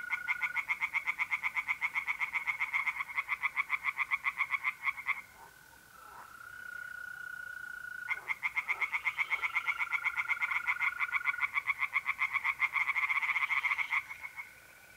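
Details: Night chorus of tree frogs in an Italian pond in mid-April, long runs of rapid rasping croaks broken by a short pause, while mole crickets keep up a continuous thin trill underneath.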